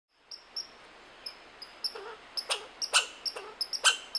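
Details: A red squirrel (Sciurus vulgaris) calls with thin, high squeaks, then a run of harsh, rasping chucks.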